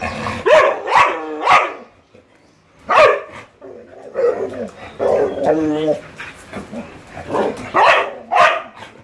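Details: Husky and Labrador in play, a dog inviting a game: quick trio of yelping barks, a pause, one loud bark, then a long stretch of wavering talkative yowls ending in more yelps.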